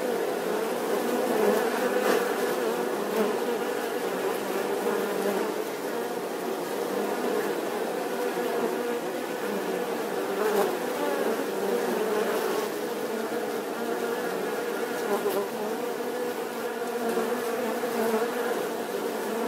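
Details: Bee buzzing steadily and continuously, a dense droning hum with a strong band in the midrange holding throughout, with slight swells in loudness and faint clicks scattered across the recording.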